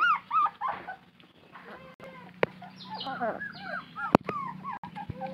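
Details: Puppy crying from thirst while searching for its mother: high whining whimpers arching up and down, some in quick runs, with pauses and a few sharp clicks, over a steady low hum.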